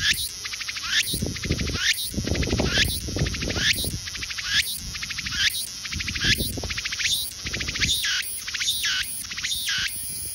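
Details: Cicada. A cicada calls with harsh, pulsing buzzes that swell and cut off roughly every second, layered over a continuous high shrill drone. Low rumbling and thumping noises sit underneath throughout.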